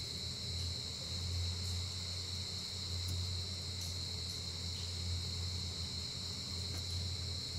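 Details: Giant rice cricket in breeding season, when it comes above ground once a year. It gives a constant, piercing, even buzz with no pauses, over a low rumbling hum.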